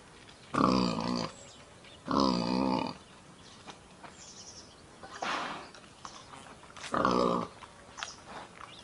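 A wild boar gives loud, harsh grunting squeals in three separate bursts.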